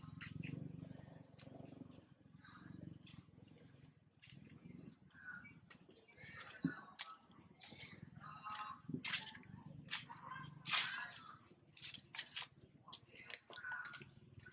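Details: Mother monkey named Rana screaming in fear as a big male monkey tries to steal her mango: harsh, high-pitched, shrill bursts in irregular series, growing louder and denser in the second half, over low background rumble.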